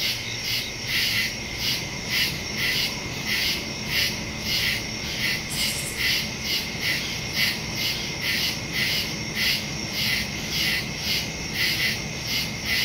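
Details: Nighttime cricket chorus from a forest, September 2, 2023, phone and stereo microphone recording: quick rhythmic high chirps about twice a second over a sustained shrill tone, one brief louder burst midway.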